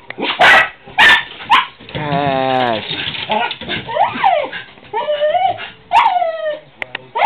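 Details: Pet dogs barking at squirrels: a few sharp broadband barks, then a drawn-out wavering whine around the two-second mark, followed by rising and falling yelps and more barks near the end.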